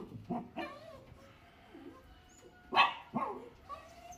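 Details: Lhasa Apso puppy among a litter of four giving short, bending, whiny yelps and a sharper bark, with quiet gaps between calls.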